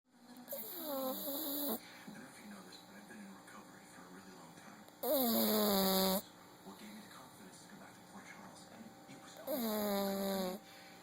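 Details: Sleeping pug snoring, recorded on an Android phone: three drawn-out, tonal snores, each about a second long and sliding downward in pitch, spaced roughly four seconds apart, with soft breathing noise between them.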